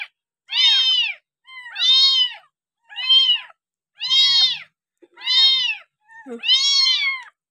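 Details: Abandoned village kitten, found discarded next to a house and now bottle-fed milk on its sixth day of care, gives six loud high arched meows about once a second, each a clear harmonic cry, with a faint murmur between.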